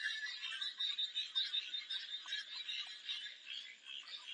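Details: A frog chorus of many callers forms an unbroken high, grating trill. Overlapping croaks pulse quickly and unevenly, with no other sounds standing out.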